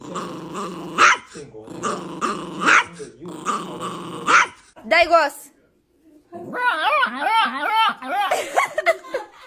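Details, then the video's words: A dog making funny sounds: rough growling bursts with harsh barks at first, then a short silence, followed by rapid wavering whines that rise and fall in pitch. "Funny sound of dog"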